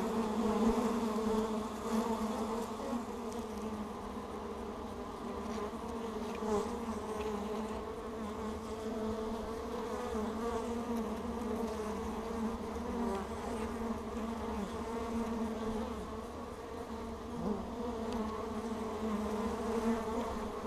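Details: Bees bustling at the entrance of Hive Ester, some bearing pollen on their back legs, with a GoPro on the entrance; a constant, even hum of many wings, with passing buzzes that briefly bend in pitch.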